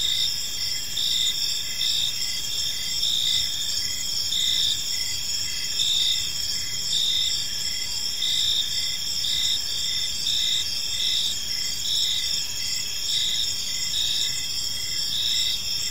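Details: Evening park chorus of crickets: continuous shrill trilling high up, overlaid by short pulsed chirps repeating evenly about every half second, with many insects calling at once throughout.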